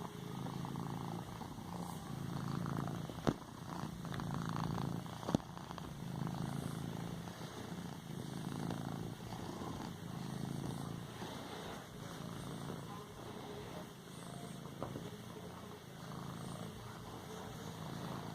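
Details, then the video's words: Pet cat kneading a pillow with its paws, purring contentedly: a deep, continuous rumble that swells and fades in regular cycles roughly every two seconds, with occasional sharp taps as it pads the cushion. "Cat padding a pillow , purring and a sneeze at end"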